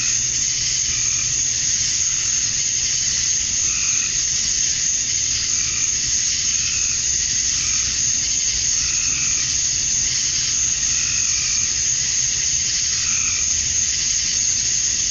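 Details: Summer-dusk chorus of male cicadas in Georgia, USA, singing to draw females: a constant shrill high buzz fills every second, while softer, lower chirping bursts recur roughly every two seconds underneath.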